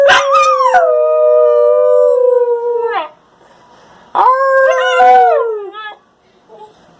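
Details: Young Husky Shepherd mix dog howling: one long, steady, clear howl of about three seconds that slowly sags in pitch, then a shorter second howl that drops and breaks into a wavering finish.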